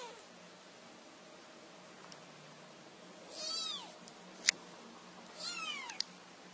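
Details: A kitten trying to get its owners' attention gives two short, high meows that rise and fall, a few seconds apart, over faint room hiss with a couple of sharp clicks.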